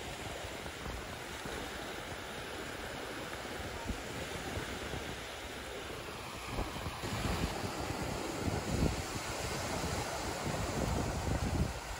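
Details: Waves breaking steadily at the seaside by a Vancouver dog park in Canada, with broadband surf hiss, low wind rumble and a faint engine-like drone, and no animal voice standing out.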